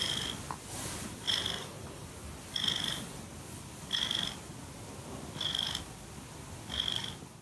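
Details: Cuddly foster cat Bailey from Cat Town, Oakland, purring against the microphone, with regular breathy swells roughly every second and a half, each topped by a faint high whistle, and a continuous soft rumble between them.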